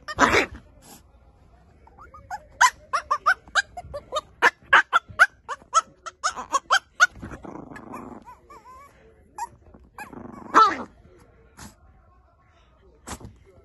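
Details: Puppies yapping: a quick run of short, sharp yips and thin rising whimpers, broken by two longer grumbling growls, with quiet gaps between bursts.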